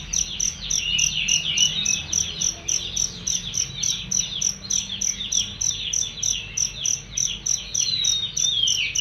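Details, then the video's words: Cricket used as a songbird training recording, its bright high chirps pulsing steadily about three to four times per second over a dense layer of rapid, twittering chirps. "masteran jangkrik untuk burung"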